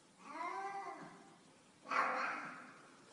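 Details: Black cat in a stairwell giving two meows, the first a long, smooth, slightly falling cry, the second louder and harsher, starting abruptly and trailing off.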